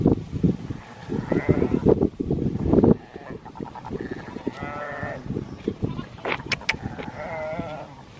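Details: Sheep with two-week-old lambs being herded by Border Collies and a Kelpie; several wavering, quavering bleats rise over heavy low trampling and rustling, with a man's voice calling out in Dutch nearby.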